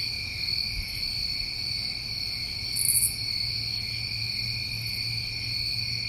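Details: A steady chorus of New England crickets in summertime: ringing layered trills without pause, one loud brief buzzy burst partway through, and a quiet low hum beneath.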